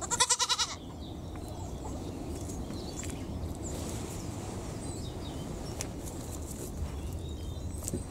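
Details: One of two young miniature pygmy goats with tiny horns, a few months old, relaxing and bonding, gives one short, wavering bleat, followed by steady low rumbling noise.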